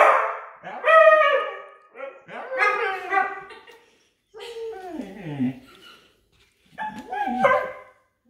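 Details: Two huskies howling together, persistent once started: overlapping wavering, yodel-like howls in bursts of one to two seconds, pitch sliding and bending downward, with short silent gaps between bouts.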